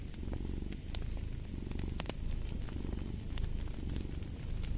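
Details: Domestic cat purring steadily, a low rumbling throb that swells and eases in slow breathing cycles, with sharp crackles and pops from a fireplace scattered throughout.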